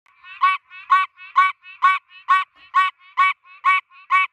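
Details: A Pine Barrens tree frog in the United States, standing still on a tree, gives a nasal, honking quonk repeated steadily about twice a second.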